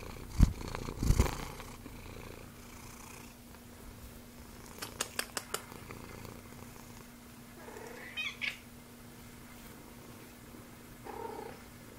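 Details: At Calico Junction Sanctuary, Bennie the special needs cat, who has Axenfeld-Rieger syndrome, purrs in a steady low rumble, with a few sharp clicks, a short squeaky sound midway and handling noises.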